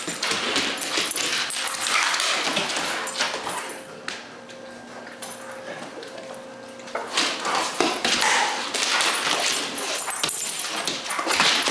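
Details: Young Rottweiler Zeus attacking a frisbee during play: rough noisy growling and chewing bursts, broken midway by a steady, thin tonal whine lasting about three seconds before the gritty growls resume.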